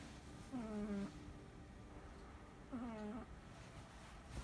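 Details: Sleeping Chihuahua snoring indoors: two nasal, whistly tonal snores, each about half a second long with a slightly wavering pitch, spaced a little over two seconds apart, over a quiet room background.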